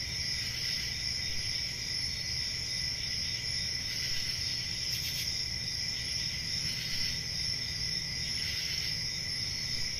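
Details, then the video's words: Crickets trilling in a constant high-pitched chorus, with brief slight swells of brightness around the middle and a low steady hum underneath. "Relaxing Cricket Sounds"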